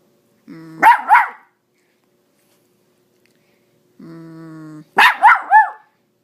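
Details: Female miniature Dachshund 'speaking' while playing fetch with an extra small tennis ball: a steady low grumbling whine followed by a quick burst of two or three sharp yappy barks, heard twice.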